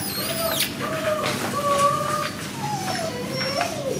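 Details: Border Collie puppies whining: a string of thin, tonal, wavering whimpers, some sliding upward and others falling, with short high squeaks mixed in over steady background hiss.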